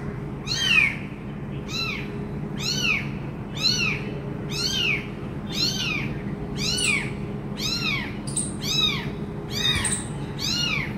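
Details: Abandoned kitten calling to its injured mother: high arched meows repeated about once a second, steady series of bright rising-falling cries over a low background hum.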